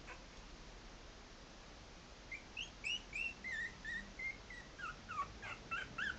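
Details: Walking about at three and a half weeks old, Maltese puppies let out a run of small, high squeaks and whimpers, several bent or falling in pitch, against a steady background hiss.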